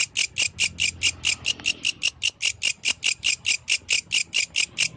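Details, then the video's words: Yellow grasshopper singing at night: a steady train of bright, high rasping pulses, about two or three per second, each buzzy burst sitting high in pitch, with faint low background hum. "The Melodious Sound of the Yellow Grasshopper, Authentic from the Night Nature"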